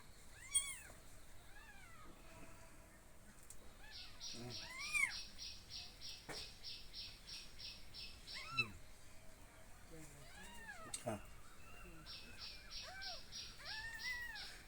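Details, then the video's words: Kittens fed milk after being found in a garden mew repeatedly, high arching cries spaced through the clip, alongside a rapid chirping rattle and scattered human voices. "বিড়াল ছানা"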